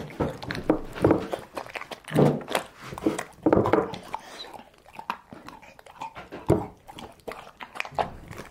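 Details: Domestic dog eating home-cooked food indoors; loud smacking chews and gulping bursts come roughly every second early on, then softer scattered chewing clicks and crunches follow in a quiet small room.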